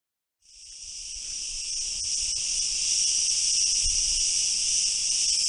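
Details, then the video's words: Cicadas calling: a dense, continuous high buzz that starts abruptly after half a second and holds steady, with faint flickering pulses and a few low thumps beneath. "Cykady - cicadas - cikader"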